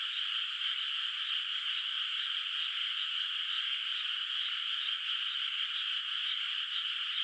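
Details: Frogs calling at night in a quiet moonlit countryside rice field, its water not yet planted with rice; a dense, unbroken chorus of distant croaking forms a steady high buzzing trill, with finely pulsing texture throughout.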